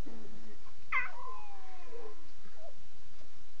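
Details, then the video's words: Lion cubs talking at night, around 2:40 a.m.: a low murmur, then a strained, mewing cry that slides downward and trails off, followed by a faint short squeak. "Here is 6 full minutes of the cubs. WOW are they talking"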